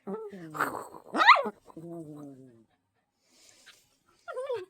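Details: Pet dog making strange noises at a wiggling blanket: a short sharp yelp and a brief falling whine at the end, with a person's speech in between and near the start.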